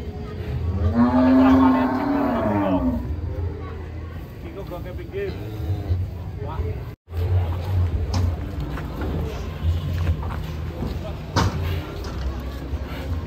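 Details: Cattle being loaded onto a truck, one giving a loud drawn-out moo with rich harmonics lasting about two seconds, then lower grunting sounds, over steady engine rumble and background music.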